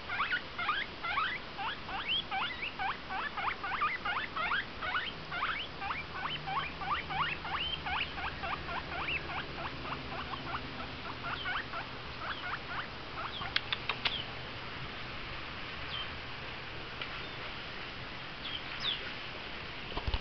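A guinea pig makes quick, sharp squeaks in a steady burst, several each second. The calls grow sparser and softer in the second half, with a few faint clicks and rustles underneath.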